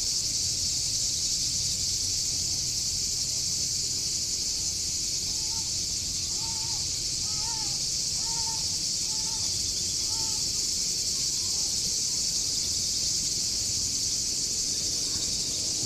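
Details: Chorus of Greek cicadas in a Corfu park, a continuous piercing high buzz that never pauses, while a bird adds a run of short, repeated chirping notes midway before falling quiet.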